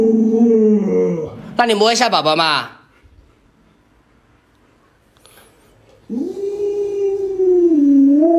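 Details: Luoluo, an Alaskan Malamute, howls at an owner who still won't get out of bed with the sun already high: a steady tonal moan opens, a human voice breaks in, then a long, gently wavering howl closes.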